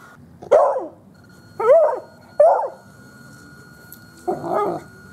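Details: Dog barking at a radio-controlled 4x4 truck: four sharp barks, three clipped, rising-and-falling yaps about a second apart, then a pause and a rougher, longer final bark, over a faint steady hum.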